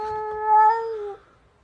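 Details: Cats fighting at 7 am: one long, steady, strongly harmonic yowl lasting about a second, swelling in the middle and then cutting off.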